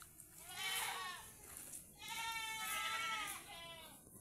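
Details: Tethered domestic goats kept as farm animals give two long, wavering bleats, each over a second long and rich in overtones, separated by a brief pause.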